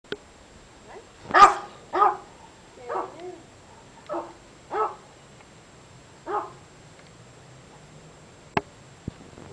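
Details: A ten-year-old dog from a puppy mill, with no vocal cords, barking hoarsely: about six breathy, rasping, voiceless barks spaced irregularly, one loud and the rest softer, then two faint clicks.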